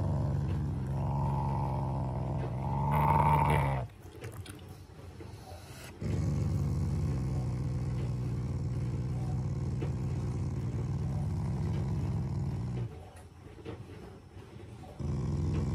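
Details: Shiba Inu, a family pet, growling as an affectionate expression rather than anger: low rumbling growls in sustained bursts lasting several seconds, separated by short quiet gaps, with a brief higher whine near the start.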